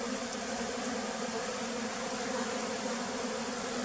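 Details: Steady hum of many bees at a farm in the flooded forest west of Tonle Sap Lake, Cambodia; an unchanging buzzing drone.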